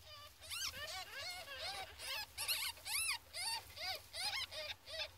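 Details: Fourteen-day-old ferret kits give high, whining squeals with harmonics, each note rising then falling, in a steady run of about two to three cries a second with brief gaps, over a faint low hum.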